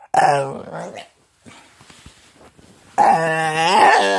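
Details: Chatty Staffordshire bull terrier giving a wavering, harmonic whine-moan, a quieter pause with faint rustling, then a longer, louder, sliding moan that keeps bending up and down in pitch.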